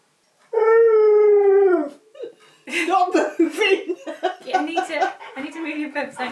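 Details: Pet husky indoors, sitting at a piano while being taught to play it, lets out one long, steady, slightly falling howl-like "ooh" of about a second and a half, followed by a man talking to him.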